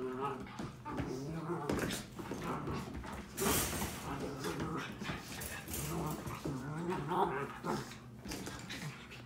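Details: Sophie and Sally, seven-month-old Miniature Schnauzer puppies, tussling in a play fight; throaty growling and squeaky whines come in uneven bursts over talking voices.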